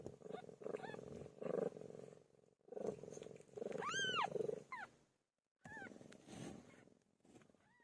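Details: Pilo, a pet cat, giving birth: continuous low buzzing purr with scattered short meows, one strong arched meow in the middle and softer high rising cries near the end, a brief silence in between.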